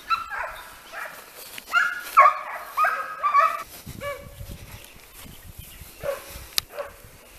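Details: Italian hounds of Le Frecce working a hare in training, voices overlapping in quick, ringing yelps for the first few seconds, then a few scattered lower bays with a quiet outdoor background.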